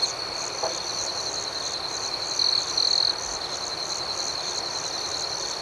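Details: Nighttime crickets: a continuous shrill ringing trill with faint rhythmic pulsing overhead, and two brief louder bursts of the trill in the middle.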